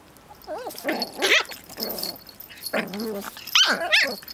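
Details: Two dogs, Pip and tiny female Bracken, play-wrestling over a twig, Pip in a wild spinning mood; squeaky, bending yelps mix with rough growling bursts and sharp high barks, several per second, rising to a louder scuffle near the end.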